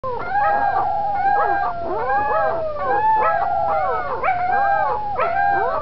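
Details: A litter of corgi puppies discovering their voices howl together in a wavering chorus of high, arching wails that overlap and rise and fall.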